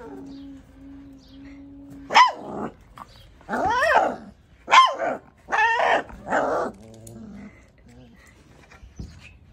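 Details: Angry one-month-old Labrador Retriever puppy giving a burst of five high, arching yelps and barks over about five seconds, each rising then falling, after a faint steady hum.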